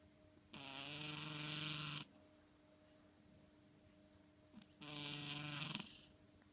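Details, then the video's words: Pet cat named Ten-chan snoring while asleep indoors: two long breathy snores about a second and a half each, separated by a few seconds of quiet, with a faint steady hum in the room. "いびき ねこ"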